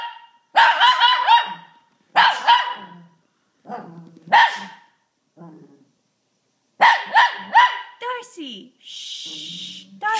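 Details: Shih Tzu set off by a sneeze, giving clusters of sharp barks that slide into wobbling howl-like tones, with quieter gaps, human voices and a breathy sneeze-like burst near the end.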